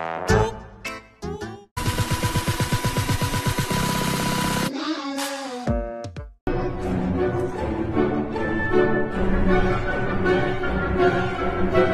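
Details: Loud electronic music with abrupt cuts, a sustained buzzing tone section and brief speech fragments; no animal voice.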